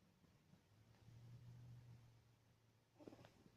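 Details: Sleeping cat snoring indoors: a quiet, low steady rumbling hum lasting about a second, fading out, then a brief higher squeak near the end in an otherwise hushed room.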